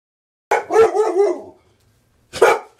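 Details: Pet dog barking and going ballistic: a sharp bark followed by a drawn-out, wavering bark-whine, silence for about a second, then one more loud bark.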